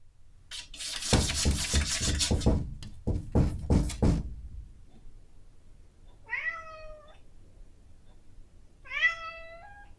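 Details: Domestic cat, female, at seven in the morning asking for her breakfast, recorded on a Zoom H5: about four seconds of loud rapid scratching and thumping at a door, then two drawn-out, slightly rising harmonic meows a couple of seconds apart.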